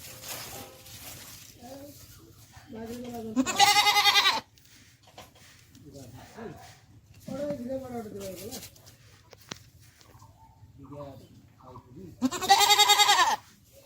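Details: Beetal goat that recently gave birth, kept with her kid on a farm in Haryana, India; two loud, harsh, strained bleats of about a second each, separated by stretches of men talking nearby.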